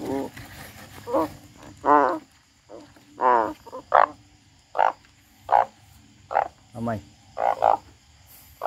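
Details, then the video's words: A frog, said to be crying, utters scattered nasal croaks at irregular intervals, some with a rapid pulsing quality, over a faint constant hum in the background. "The frog crying"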